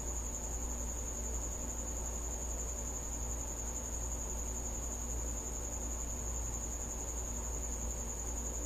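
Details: Cricket in a house at night singing a constant, needle-thin high trill that never breaks, with a dull low hum filling the background.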